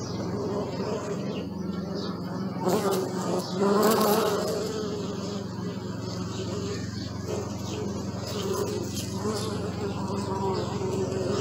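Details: Close, loud bee buzzing recorded with a Sony Alpha 6000. A rich humming drone surges sharply around the fourth second as a bee flies near, then continues as a steady, slightly wavering hum with faint ticking sounds.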